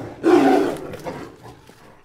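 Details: A tiger gives one short, loud, throaty roar lasting about half a second, then a fainter rumbling tail that fades within two seconds.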